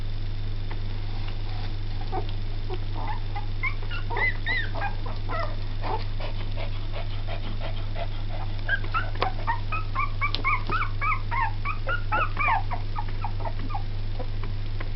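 Two-week-old Jack Russell–Yorkshire Terrier puppies squeak and whimper in quick, high, overlapping bursts over a steady low hum.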